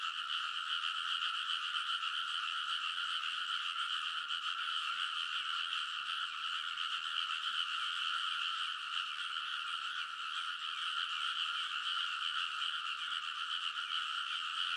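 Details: Midnight early-summer chorus of frogs in a rice paddy in Kōnosu, Saitama, Japan, captured on a TASCAM Portacapture X8; a constant, thick blend of rapid croaks and trills, steady in volume for the whole stretch, nothing else audible.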